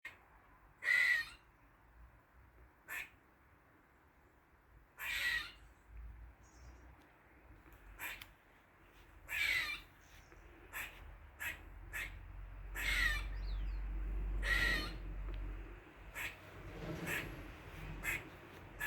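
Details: Squirrel in a Dublin garden on the forenoon of 16 August 2023 making weird noises: short raspy, broadband chucks and longer hoarse squeals at irregular intervals, with a low rumble of background noise.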